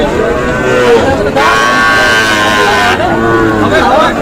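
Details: Cattle at a rainy livestock market in Manikganj, Bangladesh, on the second day of Eid, where a farmer buys a Sahiwal bull. A loud, drawn-out bellowing moo of about one and a half seconds rises over steady crowd noise and men haggling over prices.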